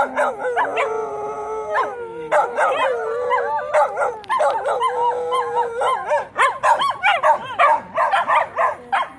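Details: Charlie, a female Shetland Sheepdog, howls alongside her brother and sister, learning what to do when a distant fire-truck siren seems to sound; long steady harmonic howls open the clip, then break into rapid, wavering yips and barks.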